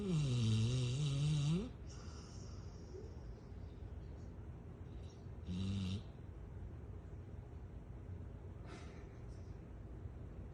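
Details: A female Rottweiler snores during a nap with a deep, rumbling rasp, loud at first and then softer.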